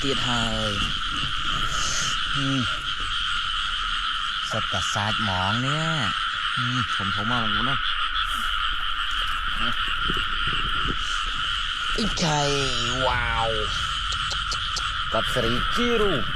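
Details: Frogs in flooded rice fields during rainy weather while people catch them: bursts of harmonic croaks, some wavering, over a steady high-pitched chorus hum, with occasional voices.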